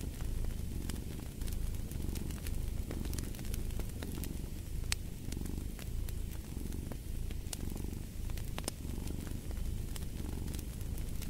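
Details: Domestic cat purring steadily in low, rumbling pulses that swell and fade about every second and a half, over a crackling fireplace with sharp pops and snaps throughout.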